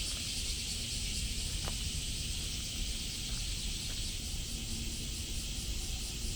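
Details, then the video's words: In Osaka on July 17th, 2024, cicadas drone without pause, a bright continuous buzz heard on a walk, over a steady low city rumble and a few faint knocks. "Catching the sound of cicadas in Osaka"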